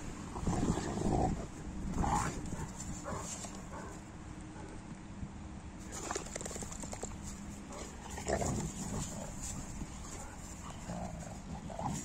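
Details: Giant Newfoundland dogs, including four-year-old Bella, playing and play-fighting in the snow in Kiev; a few deep, rough barks and growly bursts near the start and again around eight seconds, over steady low rumbling noise.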